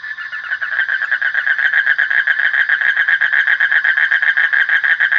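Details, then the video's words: A frog's continuous buzzy trill, made of fast regular pulses at one steady pitch, with slight swells in loudness throughout the short stretch. "Suara Kodok / Frog Sound"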